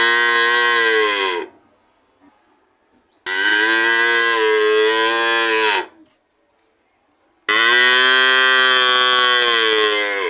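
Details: Cow mooing: three loud, drawn-out, richly harmonic moos, each lasting roughly one and a half to two and a half seconds, separated by short silent gaps, the final moo the strongest and still going at the end.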